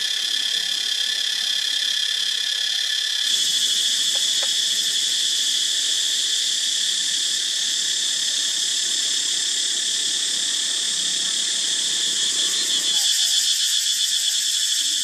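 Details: A loud, continuous cicada chorus in an archaeological park where monkeys live, a dense shrill buzz that swells and holds without pause.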